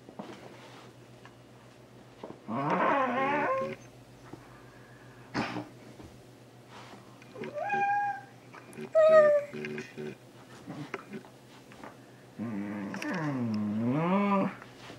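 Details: Lego, an almost two-year-old male Shiba Inu, tries to catch socks and complains loudly: three drawn-out, wavering howl-like bursts with rising and falling pitch, separated by quieter pauses and a few small thumps.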